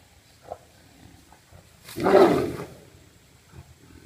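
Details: Fighting Siberian tigers, also called Amur tigers, recorded with a GoPro: after a few faint grunts, one harsh, explosive snarling roar swells and fades over about half a second, then quiet low rumbling returns.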